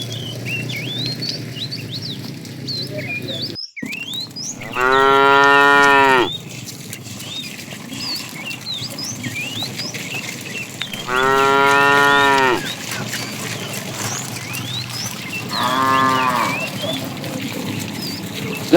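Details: Afternoon herding of tame cows: three deep moos spaced several seconds apart, each drawn out, the last brief, with steady bird chirps in the background and a sharp click early on.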